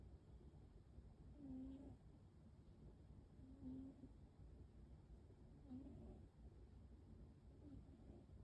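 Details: Gentle snoring from a pet American Shorthair cat named Waffle, soft whistled notes repeating about every two seconds, fading toward the end, with low steady room hum beneath.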